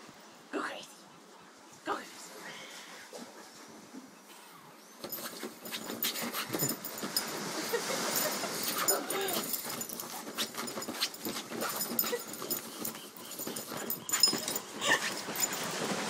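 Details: A Boston Terrier named Meatloaf barks and growls in rapid, rough bursts while attacking a camping chair he dislikes, as a person urges him on.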